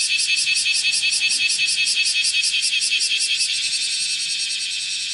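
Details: Bear cicada (Cryptotympana facialis) shrilling as it walks across a room window screen, morning of 31 July 2018; loud, harsh, high buzzing pulses repeated about two and a half times per second, smoothing into a steadier drone near the end.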